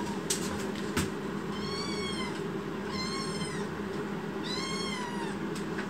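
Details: Angry protesting kitten, a rescued foster baby cat with a wide forehead, gives three drawn-out, arching meows about a second and a half apart over a constant low household hum.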